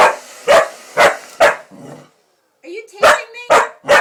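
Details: Female Pitbull-Corgi mix dog barking at a hair dryer at home: four punchy barks spaced about half a second apart, a brief pause, then three more barks with a person's voice mixed in.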